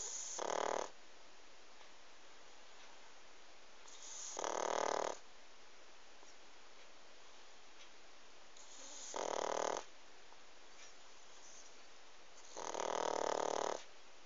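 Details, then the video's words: Four gravelly snores from a sleeping pug, spaced about three to four seconds apart. Each is a short buzzing rasp lasting under a second, separated by steady low hiss. "Как храпит мопс"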